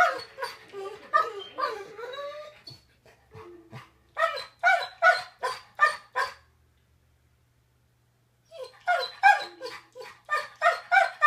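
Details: Yellow Labrador Retriever named Tiger, explaining why he mixed up the bed: a string of harmonic whining, moaning calls, a silent pause of about two seconds, then quick pulsed yelps resuming at roughly three per second.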